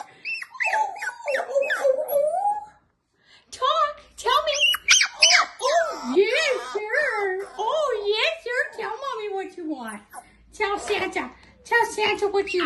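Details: Della, a six-week-old Pomsky puppy, 'talking' indoors: high wavering whines and yowls that rise and fall in short bursts, with a brief pause near three seconds, then a longer run of bending, yodel-like cries.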